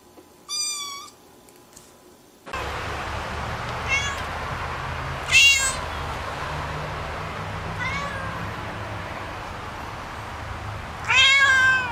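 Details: Kitten meowing. One clear high meow comes first, then after a cut several fainter, wavering meows rise and fall against a loud background rumble, ending with a stronger, wobbling cry.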